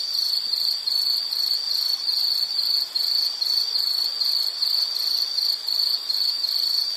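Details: Insect calling in a steady, very high, shrill pulsing trill that runs almost without pause, with only a few brief dips over seven seconds; no other sounds stand out.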